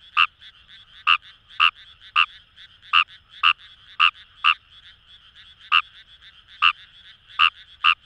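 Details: Paddy-field frog Fejervarya kawamurai, recorded wild in rice fields by the Kamo River, Itoshima, Fukuoka Prefecture: irregularly spaced, sharp, ringing croaks, some doubled, above a soft continuous background frog chorus.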